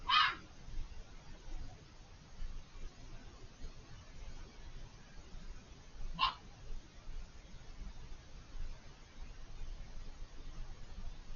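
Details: A fox calling unseen on the far side of a hedge during a long vocal bout: two short, raspy screams about six seconds apart, the first clipped at the start, set against steady background hiss.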